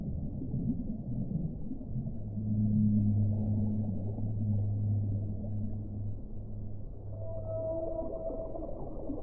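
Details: Whale singing: a loud, deep, sustained moan with strong harmonics swells for several seconds, then fades, followed by a higher drawn-out tonal note, all against a steady low underwater rumble.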